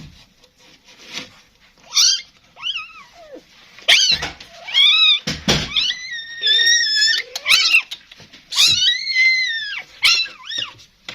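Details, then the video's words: Kitten mewing among a group of street kittens and their mother begging for food, several high rising-falling meows repeated through the clip, some long and wavering, with faint background noise. "صوت قطة صغيرة كيوت"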